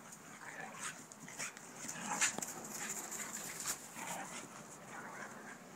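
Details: Playtime between Tug, a three-year-old Mastiff, and Bob, a Mini Australian Shepherd: soft whimpering and panting with a low harmonic growl, broken by scuffles and quick huffs over a few seconds.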